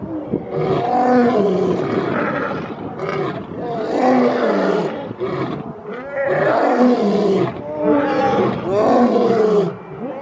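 A lion gives long, deep, moaning roars, each swelling and fading over about two seconds.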